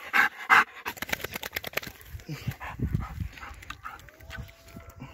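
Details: Golden Retriever Ljubica, aged nine, panting hard after fetching a wooden stick, fast loud breaths crowded into the first two seconds, then quieter huffs while a voice urges her to come.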